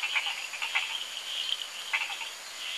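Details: Hourglass tree frogs (Dendropsophus ebraccatus) at a pond at the Costa Rican Amphibian Research Centre give short, high creaking clicks in quick bursts against a steady pond chorus of many calling frogs.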